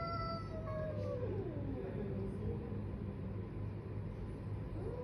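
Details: Domestic cats fighting: a drawn-out, moaning wail that slides slowly downward and fades, then lower warbling tones, over a steady low rumble of background noise.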